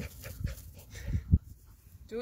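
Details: An angry Dachshund gives a few short, deep grunting growls, with faint voices nearby.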